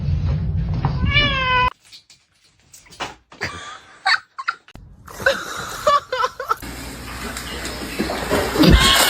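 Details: Domestic cat giving a short wavering meow with stacked harmonics near the start, followed by quiet clicks, scuffles and a rising rush of broadband indoor noise.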